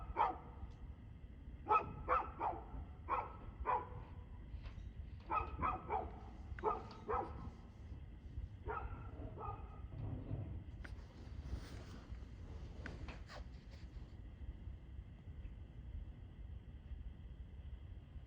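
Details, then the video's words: Evening barking from a dog, 2/6/2024, 6:02pm: rapid runs of clipped barks during the first ten seconds, then sparser and fainter barks as a low continuous rumble carries on. "Barking Dog"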